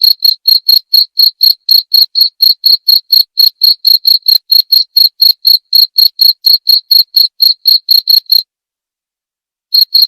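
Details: Steady run of bright, high cricket chirps, roughly four per second, stopping abruptly near the end before a last chirp resumes; presented as relaxing nature sound for sleep and for repelling pesky rats.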